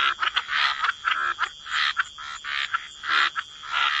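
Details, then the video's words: Frogs croaking by the water in wetland surroundings, gravelly buzzing croaks repeated at an irregular pace of under two per second, layered over a thin continuous high tone. "Relax to the Sound of Croaking Frogs"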